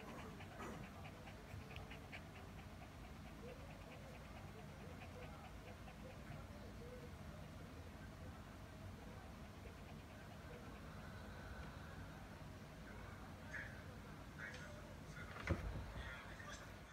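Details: A Shih Tzu, hot after a walk, lies under the air conditioner's breeze panting steadily in quick, breathy huffs over a low hum of background noise.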